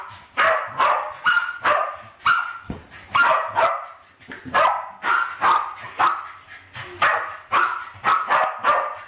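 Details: Two West Highland White Terriers, Alfie and Crystal, aged around 7 and 8, playing with balloons in a kitchen in 2012 and trying to kill them; sharp, high barks come in rapid bursts, roughly two or three per second, with short gaps between runs.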